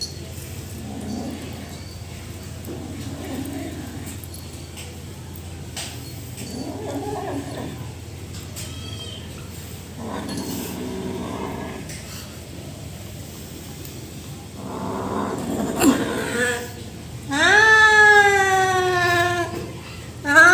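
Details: Rescue kitten, male, eating food while a person tries to help him; soft low murmurs and rustling for most of the stretch, then two long, wavering, loud harmonic cries rising and falling near the end.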